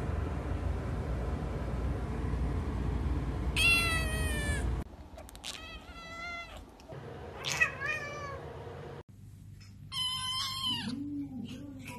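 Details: Kittens meowing in a cute kitten compilation: a run of high, bright mews, several short cries in quick succession, then a longer wavering meow near the end, over a steady indoor rumble.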